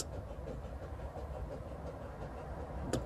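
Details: Low, steady rumble of an engine or passing vehicle dominates, with a brief click near the end and no animal voice.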